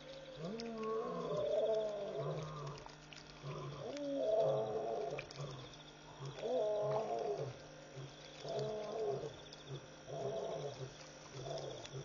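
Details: Lions calling after midnight at Pete's Pond waterhole, Mashatu Game Reserve, Botswana, wild; deep moaning grunts repeated roughly every two seconds in an even series, over a constant background drone and faint insect buzz.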